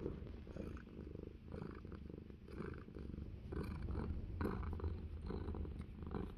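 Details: Domestic cat on an orchard in New Zealand purring while having its ear scratched; close, soft, low continuous rumbling purr with a steady pulsing rhythm and faint rustling.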